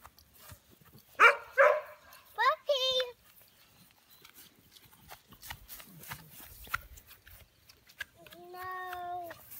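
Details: American Bully puppies, young and not yet named, giving a cluster of high, wavering yelps followed by a flat, drawn-out whine near the end. Quiet human voices and scattered clicks sit in the background.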